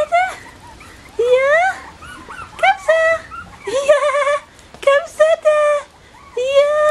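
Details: Young Bichon Frisé puppies of litters O and P at a Danish kennel whine insistently, with clear tonal yelps that rise and hold or dip, crowding together in quick succession with brief quiet gaps.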